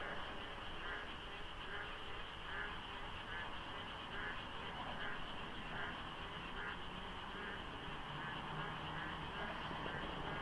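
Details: Frogs calling in darkness before dawn during the monsoon rains at the Deokso IC expressway interchange, in light fog with little traffic. A dense chorus of overlapping croaks repeats roughly once a second over a steady high hum and low road rumble.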